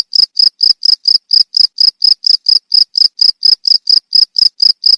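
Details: Cricket chirps used as a tutor sound for songbirds, a rhythmic string of high, piercing pulses at roughly four per second, regular and uninterrupted.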